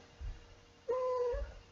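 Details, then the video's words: Seven-year-old female house cat held by her owner indoors, 'singing' between song lines: a single short, steady, level meow lasting about half a second, with soft handling noise before and after. "my cat singing"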